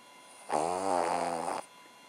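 A Cavalier King Charles Spaniel snores in one long, rasping, buzzy breath lasting about a second.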